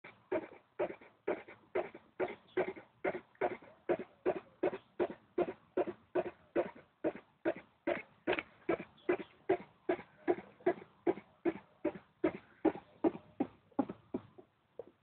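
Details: Female hedgehog living under a back door step, thought to be giving birth; a long run of sharp, broadband huffing bursts, about two or three per second, steady and evenly spaced throughout.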